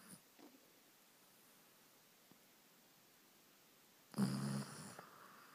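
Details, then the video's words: Evening snoring from Amber, a dog dozing on the sofa after a day of biking, captured by iPhone: one short, low, rasping snore near the end after a long quiet stretch. "Amber the Downhill Dog Snoring!!"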